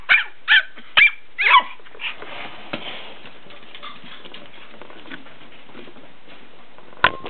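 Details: Two dogs, Lexi and Kodiak, barking at each other: four sharp barks in the first two seconds, then quieter rustling and a faint pause, ending with another abrupt bark near the close.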